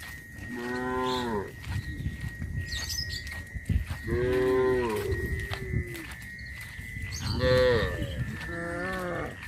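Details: Tame village cows roam leisurely, lowing repeatedly: four long, droning moos spread across the recording, each slightly falling in pitch, with a constant high hum and scattered knocks between calls.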